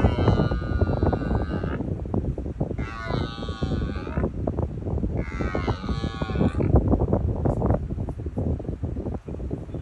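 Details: A red deer stag on the Isle of Arran, Scotland, roars three times, deep, drawn-out bellows during the autumn 2023 rut.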